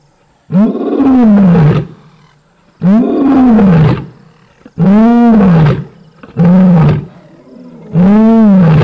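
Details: Five powerful roars from a lioness come in quick succession, each a deep, rising-then-falling moan lasting about a second, with strong harmonics and short gaps between.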